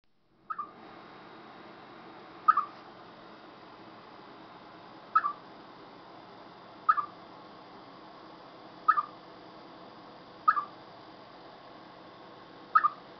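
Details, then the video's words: Chipmunk calling before bad weather: a short, sharp chirping note that dips slightly in pitch, repeated seven times at steady intervals of about two seconds against a quiet background. "Арбузявка перед дождём"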